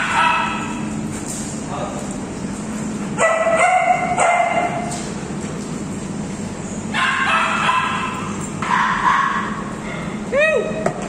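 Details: Alaskan Malamute Chloe together with her friends, giving a string of short, harmonic talking yowls and woos at uneven intervals, some rising and falling, over a steady low hum of room noise.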